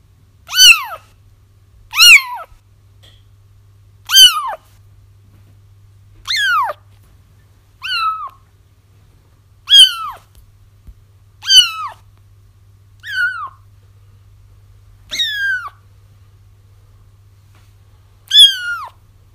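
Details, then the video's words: Crying kittens for luring a feral mom cat into a trap: a steady run of about eleven sharp, descending mews roughly every one and a half to two seconds over a faint low hum. "Kittens Crying"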